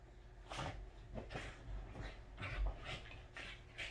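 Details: Welsh Corgi indoors at home in its happiest mood, giving short, breathy, broadband grunting bursts roughly twice a second across four seconds, in a small quiet room.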